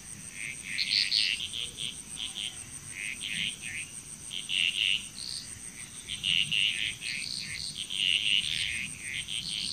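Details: Bali, Indonesia frog chorus of short croaking notes in scattered groups, some louder calls standing out every second or two, set against a continuous high-pitched insect tone.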